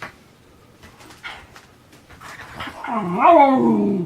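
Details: Pet dog making goofy sounds indoors; quiet shuffling noises, then a rising and falling, strongly harmonic whining groan swells over the final second.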